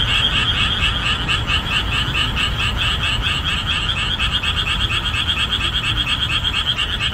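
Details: Boreal digging frogs calling at full throat in summer marshland after the rainy season ends; a dense chorus of rapid, rhythmic croaks repeating about twice a second, with overlapping callers and a steady low rumble beneath.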